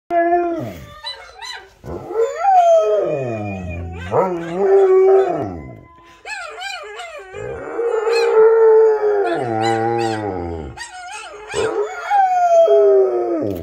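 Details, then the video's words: A Rottweiler howls in long, wavering tones that rise, fall and break into yodelling slides, while listening to recordings of other dogs howling. "Rottweiler Howling"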